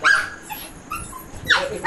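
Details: Excited, happy street dog lets out short high whines and yelps, one at the start and another near the end, with quieter faint sounds between.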